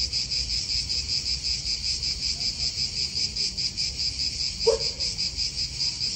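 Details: Cicadas in an Italian park give a pulsing high buzz in rapid beats, with a brief bird chirp near the end and soft wind noise.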